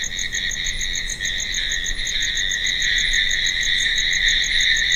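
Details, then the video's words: Steady nocturnal cricket chirping: a dense, piercing insect trill with a faint rapid pulse riding over it, growing a little louder toward the end. "Crickets Sound || Night sound Effect"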